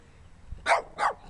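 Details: Small dirty dog giving two quick, sharp, loud barks in close succession, each harsh and broadband, against a quiet room.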